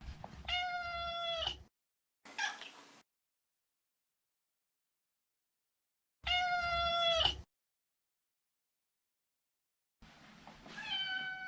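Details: Neutered male Maine Coon meowing repeatedly: three long, clear harmonic meows and one short squeaky mew, separated by pauses of several seconds in a quiet room.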